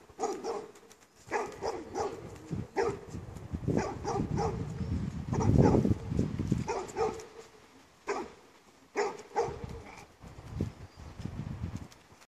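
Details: Pet dog barking in short, broken bursts, several barks falling close together in uneven runs, with a dull low rumble building around the middle.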